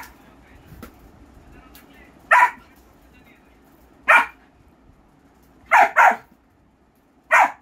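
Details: German Shepherd puppy barking in short, sharp bursts, five barks spaced irregularly over several seconds, two coming close together near the end, with quiet room noise between.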